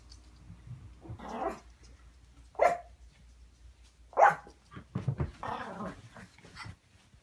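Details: A Yorkshire Terrier at play, with a second small dog lying nearby, gives a few short, sharp barks and throaty growling bursts spaced irregularly over several seconds, with a brief spoken word in the background.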